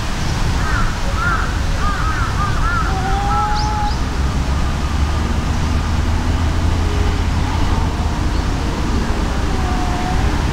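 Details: Two cats fighting, an enraged brown tabby-and-white against an outmatched brown tabby: warbling, wobbly cries early on, then sustained tonal yowls with quieter answering moans, all beneath heavy low-pitched background rumble.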